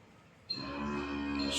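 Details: Dairy cow on a farm in Khulna, Bangladesh, being offered for sale together with a bull calf; a deep, steady, droning moo begins abruptly and holds for over a second, rich in harmonics, with background noise throughout.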